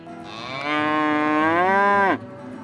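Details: A single cow at a cattle auction gives one long, level moo lasting about one and a half seconds. It ends in a quick downward slide, with faint music underneath.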